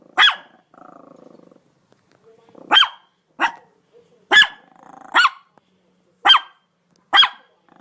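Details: A dog gives sharp, clipped barks in uneven spacing, with a low rumbling growl between the first barks.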